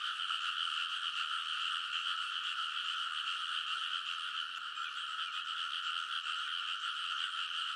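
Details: Frogs chorusing on a rice paddy embankment near midnight in early summer, Kōnosu, Saitama, Japan, recorded on a TASCAM Portacapture X8; a dense, unbroken wall of overlapping croaks with strong bands in the middle and upper range, steady in loudness throughout.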